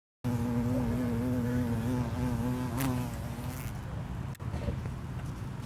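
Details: An eastern carpenter bee, recorded on October 15, 2022, gives a low, steady droning buzz that wavers slightly in pitch, then fades.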